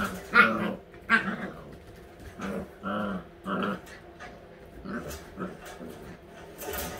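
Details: Playful growling from a litter of all-white Husky puppies, eight weeks old: a pair of high yelps opens, then repeated rough growl bursts roughly every half second to second, fading to softer grumbles and rustling.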